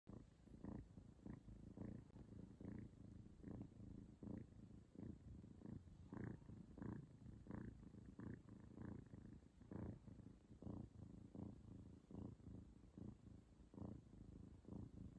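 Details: A cat purrs steadily while kissing her mother, a low rumbling purr swelling and fading in regular pulses a bit under one second apart, each pulse with a low buzzy core and faint brighter edges, in a quiet room.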